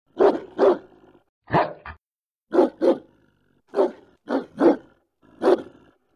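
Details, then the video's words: Loud, deep barks from a German Shepherd, mostly in pairs, with a short gap between each burst, about eight barks over six seconds on a quiet background. "German shepherd barking"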